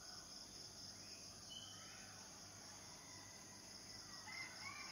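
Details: Unbroken high, hissing cicada chorus running through the whole stretch, with faint, brief bird chirps and slurred whistles scattered over it in a calm outdoor setting.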